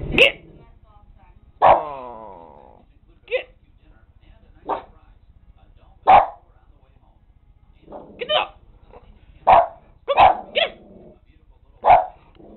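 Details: Dog giving single, spaced barks every second or two over a steady low electrical hum, with one bark trailing into a falling tonal whine and faint voices between barks.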